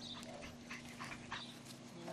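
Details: Six-week-old male English Bulldog puppies whine and yip in short, high, wavering bursts, several each second, over a faint constant low hum; a human voice may be heard faintly.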